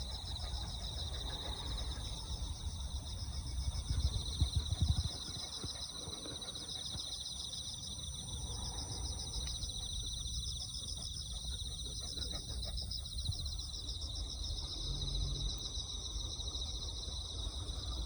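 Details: Insects chorus at dawn, a steady, dense high shimmer of rapid pulsing trills in two bright bands that runs unbroken through the whole stretch, over a low rumble of background noise.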